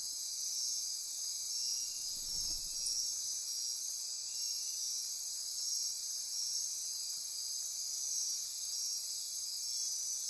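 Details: Midnight rainforest insects on the Osa Peninsula, Costa Rica, near Corcovado National Park, keep up a dense, unbroken high trilling and pulsing buzz; a brief soft low rustle passes around the second and a half.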